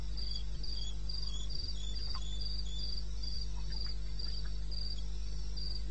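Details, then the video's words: Crickets at night in eastern Botswana's wilderness, May, 2:30 AM: bright rhythmic chirps about every quarter second, a few soft clicks, steady low background drone. "1 Hour cricket sound-Africa-No loop-Real recording. Not edited."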